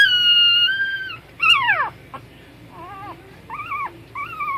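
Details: Puppies vocalising: a long, steady high whine, then a sharp yelp that slides steeply downward, followed by three shorter arched whimpers that rise and fall, with brief clicks between.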